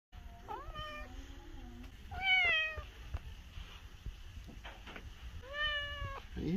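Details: A talkative cat at the Colonial Capitol Humane Society, recorded 3/8/22, gives several drawn-out, slightly rising harmonic meows about one to two seconds apart, with a loud central meow and quiet room noise.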